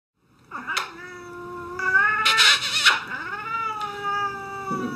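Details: Domestic cat disliking petting and kisses, giving long drawn-out yowling meows that waver and slide in pitch, several sustained cries running into one another, with short harsh bursts in between.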